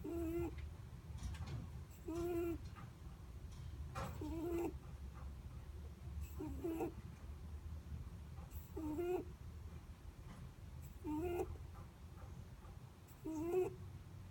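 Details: Sleeping Netherland Dwarf rabbit breathing with a snore, each breath a short, faint squeaky whistle with a slight upward bend, spaced about two seconds apart against a low steady hum.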